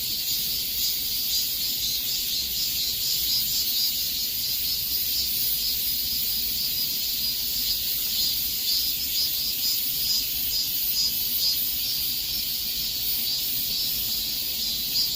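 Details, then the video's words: Summer-heat cicada chorus: continuous high, hissing drone that throbs slightly about twice a second, even in loudness from start to end, nothing else clearly heard. "삼복더위에 들을 수 있는 매미 소리"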